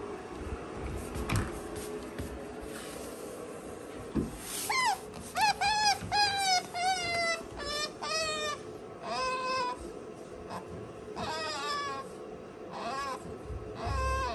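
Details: Sakura, a female pet otter kept indoors with a cat, calls out, worried because her owner is absent. Bursts of high, squeaky chirps with strong overtones begin about four seconds in and come in rapid runs. A steady low hum fills the room.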